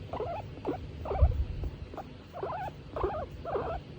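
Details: Tomato, a female skinny pig in good spirits under gentle petting, repeats short warbling squeaks about twice per second, each slightly wavering, over a low murmur.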